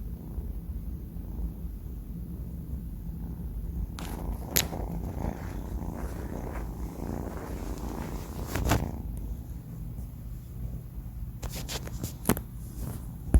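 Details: Sleeping four-month-old male cat named Banh Mi gives a continuous low, rhythmic snoring rumble, broken by scattered soft rustling and clicking noises midway and again toward the end.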